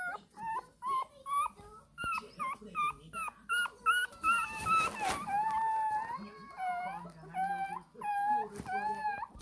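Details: A 20-day-old Shih Tzu puppy cries, demanding milk: a run of short, nasal, rising-and-falling whines, about one per second, ending in longer drawn-out wails with a slight wavering pitch.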